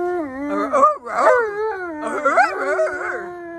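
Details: Alaskan Malamute howling during a howling lesson with its owner: wavering, overlapping howls that slide up and down in pitch, broken by a short dip near the first second, then rising, quavering notes.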